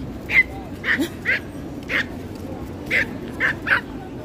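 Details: A stressed female pinscher barking at the beach: seven short, sharp, high yapping barks in irregular bursts over about four seconds, above a steady background hiss.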